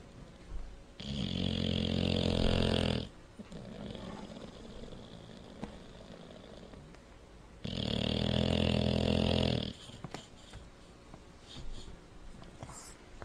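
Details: Sleeping bulldog snoring: two long, loud, rasping inhalations of about two seconds each, roughly five seconds apart, with quieter wheezy breathing in between, indoors.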